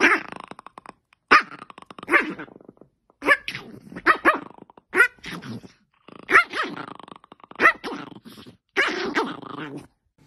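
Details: An angry pet dog, apparently named Sammy, gives short harsh growling barks in separate bursts with gaps of silence. A faint human voice is heard between them.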